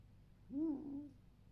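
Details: Lazy evening 'ururu' from Alf, a fiery-furred male red fox from a fur farm now living in a home: one short, low whining note that swells, bends downward and fades within half a second, with faint room hum behind.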